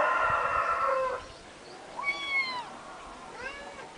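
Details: Eight-week-old kittens on a finca, filmed 11 May 2011; after a loud crowing-like burst, two separate arched meows follow, each under a second long.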